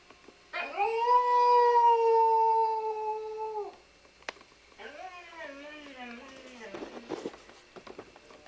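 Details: Welsh Springer Spaniel singing along to music in a small room: a long, steady, loud howl held about three seconds, then a second falling, wavering howl breaking into short yelps, with a person's voice faintly behind.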